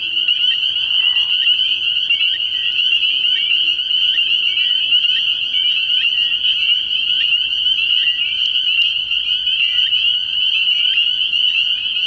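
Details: Night chorus of spring peepers at a frog pond in early spring, a continuous high-pitched shrill of many overlapping peeps, constant in loudness, with a brief soft lower rasp near the start beneath the chorus.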